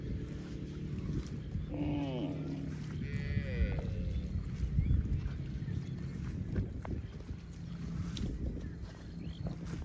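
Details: Young cow calling twice, a brief bleating cry followed by a higher wavering one, with a constant low hum and some rustling in the background.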